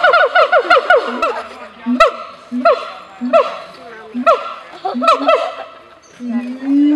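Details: Siamang at a zoo giving a loud, rhythmic series of harmonic barks that rise and fall rapidly, alternating with deeper, short booming notes roughly every half second, with brief pauses between phrases.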